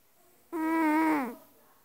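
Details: Loud snore from a sleeping cat: a sudden, nasal, harmonic drone of roughly three-quarters of a second holding an even pitch before sliding down and trailing off into silence.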